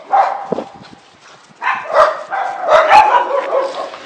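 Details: Miniature Pinscher dog out on a walk, giving short sharp yapping barks around 0.2 and 0.5 seconds, then a denser run of high yips and whines from 1.6 seconds onward, several close together.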